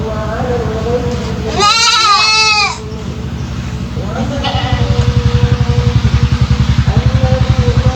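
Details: A three-month-old goat kid with an odd voice that drew attention from local residents lets out one shaky, warbling bleat, followed by faint thinner cries, over a steady pulsing mechanical hum.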